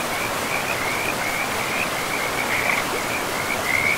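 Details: Frogs in a pristine forest by a river give repeated high, rattling trills that come in quick bursts, some louder near the end, over an unbroken wash of rushing river water.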